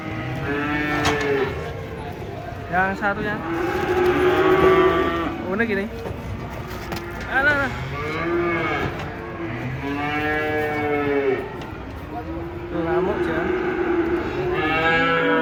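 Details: A group of cattle unloaded from a truck keep up a string of overlapping moos, some long and level, others short and rising-falling, repeated every two to three seconds over a low rumble.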